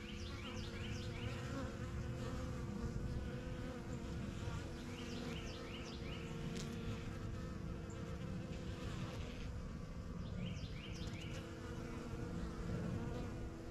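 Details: Honey bees busy at the strongest of a few first-year backyard hives: a full, steady wing-buzz hum throughout, with repeated downslurred bird chirps in short bursts behind it.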